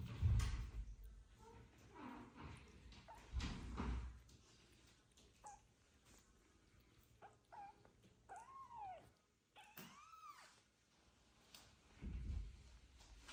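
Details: Sick male foster kitten indoors in a new home in a Ukrainian village: two short, arching meows a couple of seconds apart, surrounded by handling thumps, rustling and low rumbling bumps.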